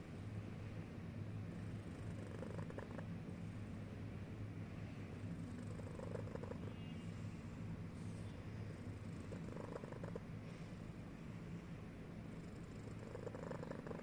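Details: Cat asleep and snoring, a low, unbroken rumble lasting the whole stretch, with occasional faint clicks and rustling over it.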